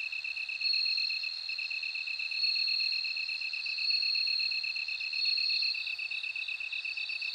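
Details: Sustained high ringing from a bell cricket, swelling and easing in waves, with a steady throbbing lower insect trill running beneath it.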